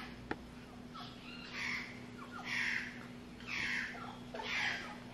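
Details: An English Bulldog in a howling competition with a howler monkey gives high, wavering howls, each about a second long, repeated in quick succession.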